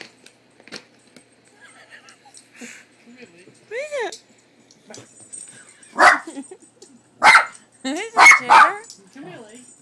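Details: Dog named Leo, indoors, afraid of the cat picture on a cat food bag, gives sharp, noisy barks in a cluster near the end, mixed with a person talking and calling him.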